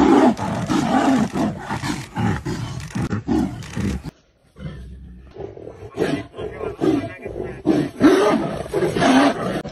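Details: Royal Bengal tigers in Ranthambore National Park, Rajasthan, India, play-fighting in the wild: harsh snarling roars in rapid bursts, a quiet gap near the middle, then renewed growling.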